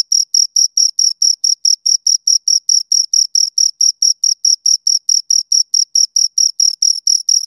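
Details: Pair of crickets chirping near the ear, steady sharp pulses about twice a second, each a shrill high buzz with a faint upper overtone, evenly spaced throughout against silence.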